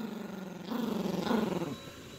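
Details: Yorkshire Terrier puppy growling while playing with its owner over a dog toy; a low, rattling pulsed growl starts softly, swells louder after a moment, then fades, with a voice faintly nearby.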